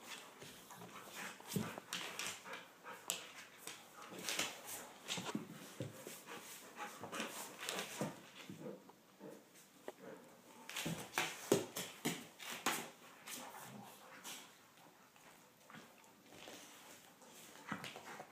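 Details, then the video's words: Playing Golden Retrievers, Shai and Finn, keep up a long stretch of panting, huffing and gruff mouthy bursts, busiest in the first half and around the twelve-second mark, then quieter. "Golden Retrievers Playing"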